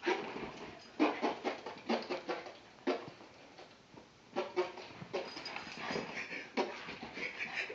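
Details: Pet dog at home going crazy after hearing fart sounds, letting out a rapid series of short, sharp barks and yips in uneven bursts, about a dozen over several seconds, with brief quiet gaps between volleys.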